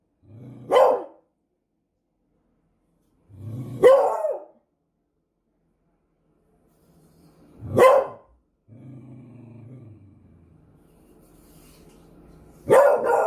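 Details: Beagle. A beagle barks in sharp, loud bursts that start low and rise steeply, spaced about four seconds apart. Between the later barks comes a quieter, low rumbling growl before the last bark breaks out.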